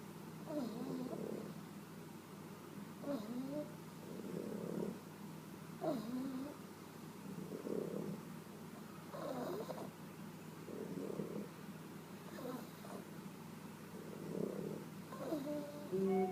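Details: A pug and a cavalier sleeping and snoring in sync: soft, rough snores repeating about every one and a half seconds in a steady rhythm, over a low background hum.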